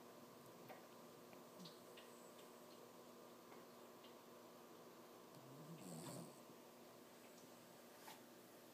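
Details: Toby, a six-month-old Lhasa Apso puppy, sleeping and dreaming. Faint ticks and soft rustles, then one low, swelling snore-like breath builds and fades just before the sixth second, followed by a brief high click.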